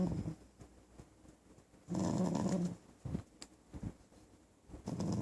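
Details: Low rumbling growls from the puppy Mommaem, nicknamed Dirty, recorded indoors on 9 November 2012: a steady one-second growl, then shorter rough bursts at the start and end, with soft clicks in a small room.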